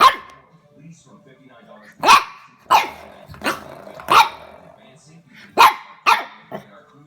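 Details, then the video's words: French Bulldog puppy barking at a door stopper in a house: sharp, high-pitched yaps repeated irregularly, about seven barks over several seconds, with quiet gaps between. "Funny French Bulldog Puppy Discovers Door Stopper"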